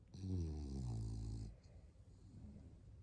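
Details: French Bulldog giving a drawn-out, low, harmonic snoring grunt lasting about a second and a half, then fading into softer, rough, irregular breathing noises.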